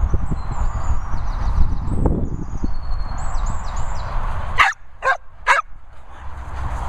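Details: English Springer Spaniel giving three short, sharp barks in quick succession near the end, after several seconds of low rumbling background noise with faint high chirping sounds above.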